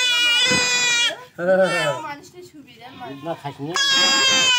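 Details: Male goat undergoing castration gives two loud, strained, drawn-out bleats, harmonically rich and steady in pitch, one opening and one closing the recording, with people talking in Bengali between them.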